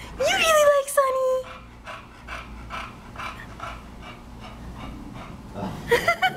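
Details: Bulldog panting while playing with a new playmate: quick, breathy huffs repeating steadily about three times a second, opened and closed by a woman's high, sing-song voice speaking to the dog.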